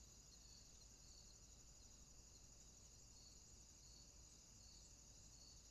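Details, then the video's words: Crickets calling at night in a swamp: a steady high-pitched shrill trill overlaid with soft pulsed chirps repeating about twice per second, continuous and unbroken, with faint low background rumble. "Night Ambient Sounds, Crickets, swamp sounds at night"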